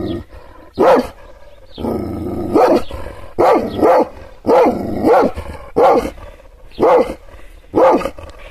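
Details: Kangal shepherd dog barking angrily after being provoked by arm gestures: a run of deep, heavy barks roughly once a second, some doubled, with a growling rumble underneath between them.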